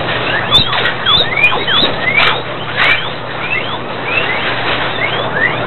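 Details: Guinea pigs at a breeding farm in Sandoná, Nariño, give many overlapping whistled squeals, short sweeps rising and falling in quick succession from several animals, over a steady low hum.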